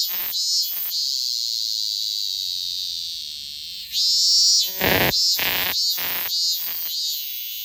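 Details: Robust cicada singing: a steady high buzzing drone for about four seconds, then breaking into loud pulsing bursts repeated roughly twice a second.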